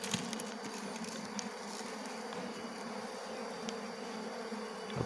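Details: Colony of Asian honey bees (Apis cerana) in the rainy season, during a lean season: a steady, dense low buzzing hum of many bees throughout, ending with a sharp clap.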